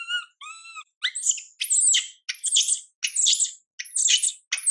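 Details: Baby monkey Mila, ignored by mother Milika, cries out: two clear arched coos, then harsh, noisy, high-pitched screams repeating roughly every half second.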